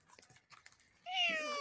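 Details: On 8 August 2020 at 12:37, a domestic cat caught in a live trap gives a long, clear meow that holds steady and then slowly falls.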